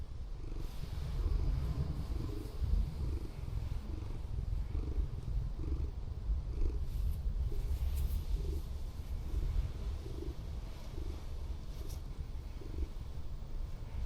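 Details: Loud, relaxed purring comes from a formerly rescued female Scottish Fold camping overnight in a van at an abandoned harbour, more affectionate than at home. A droning low rumble beats evenly throughout, with faint background hiss.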